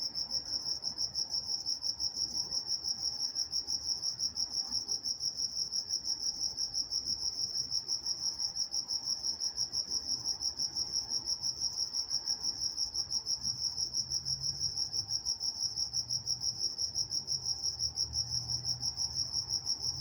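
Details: Crickets calling at night in Walnut, California: a continuous high pulsed chirping, fast and steady, dominating the scene, while a faint low rumble rises in the background toward the end.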